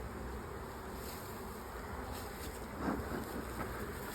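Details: Honey bees of a late swarm that moved into an old, crowded, honey-bound hive, heard as the hive is opened. A dense, steady low buzzing drone continues throughout, with one brief louder swell near the middle.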